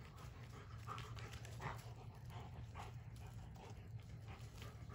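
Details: German Shepherd playing with a log, its favourite toy. It pants softly in quick breathy bursts repeated about every half second over a low background rumble.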